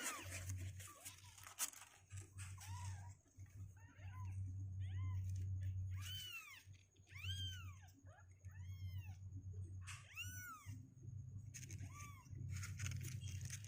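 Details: Kittens at two weeks of age, healthy and getting stronger legs, cry repeatedly from a box indoors: many short, sharply arched mews in quick bursts, over a steady low hum and scattered scratching noises.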